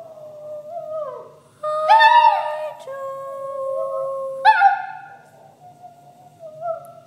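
A toy poodle 'sings' in long, tuneful howls that slide up and down in pitch.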